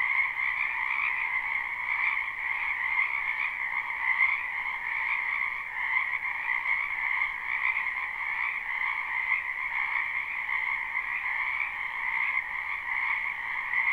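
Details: Dense nighttime-style chorus of many frogs in a spring wetland, live recording: layered croaks form a constant, gently throbbing drone at a middle and a higher pitch, nothing else audible.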